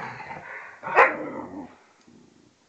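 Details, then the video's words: Tarkas and Noonoos, a vizsla and a pointer aged two and a half and twelve, play fight; low grumbling growl broken by one sharp, loud bark-like yelp, then fading quiet growls. "vizsla and pointer play fighting"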